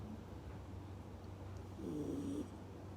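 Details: In Hong Kong, a sleeping dachshund snores with a low, rumbling breath and a brief nasal whistle.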